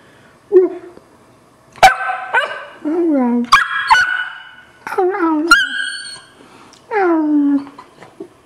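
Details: Twelve-week-old black Labrador Retriever puppy barking on request to speak, after being asked to speak quietly; a series of short yips and drawn-out whiny barks that fall in pitch, with a person talking in between.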